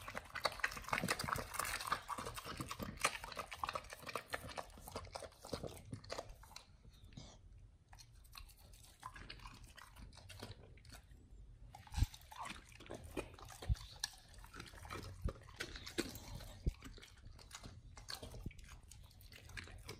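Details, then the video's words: Dogs on a raw diet eat raw chicken breast and duck feet indoors, with dense crunching and wet chewing bursts, a quieter pause of about four seconds midway, then steady chomping resumes. "Dogs eat RAW Chicken Breast+Duck Feet [ASMR]"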